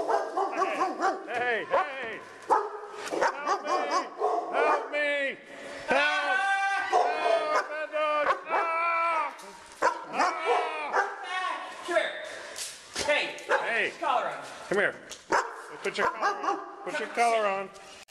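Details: Several pet dogs, described as attacking a person with a broken foot, give rapid high yips and arching whines, many overlapping, while a person talks and gives commands throughout.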